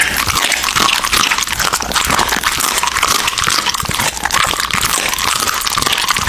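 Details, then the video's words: An American Bully crunching through raw meat: rapid, sharp bites and wet gnawing tightly packed together, loud and even from start to finish in a small indoor space. "MUKBANG ASMR Dog eating Raw Meats!Omnibus 【American Bully】"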